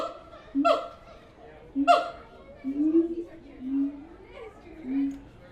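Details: Siamang apes at the Tulsa Zoo make two sharp, swooping barks about a second apart, followed by softer, lower rising hoots and booming notes, with quiet pauses between.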